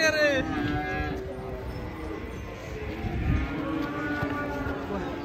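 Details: Raging, agitated cattle mooing: a short high-pitched bellow at the start, then lower, drawn-out harmonic moos over a noisy background with some human voices.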